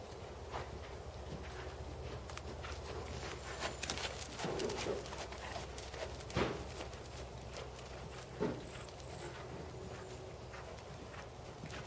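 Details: Dressage schooling with Tobias, a black Percheron/Thoroughbred gelding, 7 years old and 16.2 hands: muffled hoof strikes fall in a loose rhythm, clearer knocks around four, six and eight seconds, over a constant low background hum.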